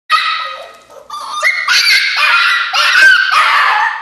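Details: Female Alaskan Klee Kai puppy throwing a fit in her crate indoors: loud, drawn-out, whiny howls and yelps that waver and step up in pitch, breaking into several connected, insistent bursts.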